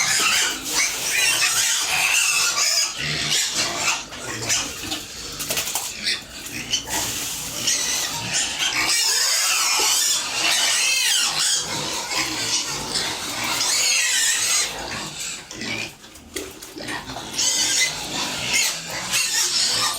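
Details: Penned farm pigs with piglets at feeding make a long run of shrill, rasping squeals and screams, many animals overlapping, rising and falling in loudness, with brief lulls around ten and sixteen seconds.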